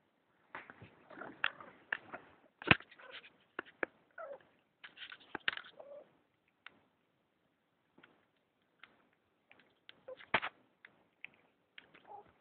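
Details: A domestic Persian cat pestering a person's arm makes short clipped chirps and little meows amid a busy patter of scratchy taps and handling noises, some louder bursts clustered early and near the end.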